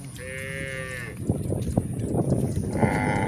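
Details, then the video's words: Village cows grazing in a countryside pasture: one drawn-out flat harmonic moo at the start, then crunching grass and movement noise, with a second fainter call beginning at the end. "Adorable Village Cows: A Full Day of Grazing While Making Cute Sounds"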